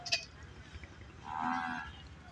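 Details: Big-horned water buffalo at a livestock market held on 15 September 2021, giving a single low drawn-out moo lasting under a second, with faint background market noise.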